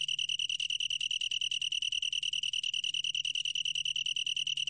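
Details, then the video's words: A long-tailed tree cricket keeps up a bright, ringing trill, its rapid pulses evenly spaced and the tone steady throughout, with a quiet hum underneath. "긴꼬리, 여러번 듣기, 곤충소리"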